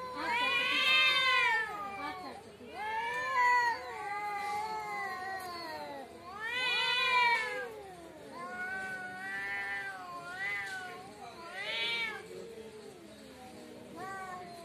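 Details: Cats fighting in front of a house trade loud, arched yowls that rise and fall, roughly eight over fourteen seconds, some overlapping lower drawn moans between the louder wails.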